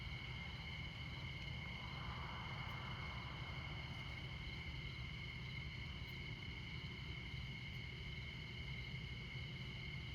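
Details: Crickets in the Montana night, alongside the I-94 interstate at midnight, keep up an even, high-pitched continuous trill. Dense low traffic noise persists underneath, with a brief swell of passing-vehicle hiss early on.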